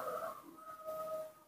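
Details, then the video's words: Newborn baby monkey, hand-raised by its keeper, calling to ask for milk: a short steady whistled whimper that starts rougher and louder, then holds one clear tone for about a second while fading. Faint indoor room sound. "makes a unique sound, cute and beautiful, that's how newborn monkeys ask for milk"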